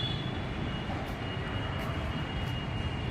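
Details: Steady low rumble of engine or traffic noise, with no animal voices.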